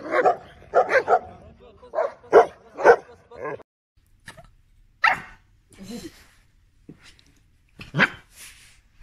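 A Rottweiler gives a run of short, harsh barks, then a few scattered louder ones.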